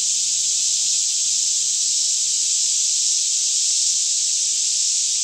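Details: Many cicadas sing together in a Kentucky forest near Franklin at about 10am on a still morning; the steady high-pitched sizzling chorus never breaks, with a faint low rumble below.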